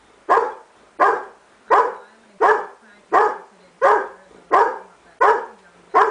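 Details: Irish Setter barks at the mailman in a very regular series, one loud bark roughly every 0.7 seconds, each sharp and falling off quickly.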